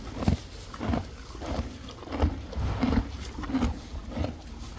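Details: Hay being eaten by Friesian horses and foals, a slow, even series of deep crunching bites about one and a half per second with muffled grinding in between.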